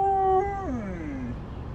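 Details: Husky riding along on a trucking trip gives a short howl: a steady tone that breaks and slides downward in a long falling glide, with rich overtones over a low engine rumble.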